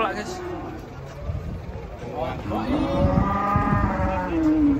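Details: Morning unloading of giant cows from a truck: a rough, harmonic moo swells in the second half and holds steady, with shuffling, thudding hooves and low rumble beneath.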